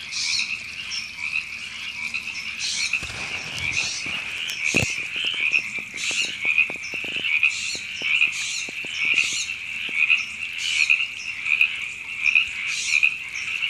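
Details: Frogs calling in Temescal Canyon Park, Los Angeles, California, in April 2017: a dense chorus of trilled croaks held steady at a high pitch, with brighter pulsed bursts repeating roughly every second and scattered clicks and taps early on.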